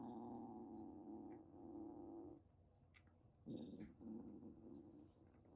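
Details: Threatening calico kitten, about a month and a half old, rescued in Kagoshima, Japan: a soft, sustained, low rumbling growl pauses briefly, then resumes with a short breathy burst before trailing on quietly.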